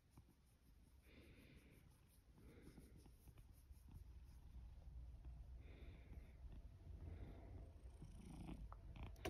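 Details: Sacchan, a male rescue cat born around spring 2019, sleepy on a drowsy autumn morning in Higashiōmi, Shiga, Japan; a quiet low purr rumbles on, with soft rustling and faint higher tones over it.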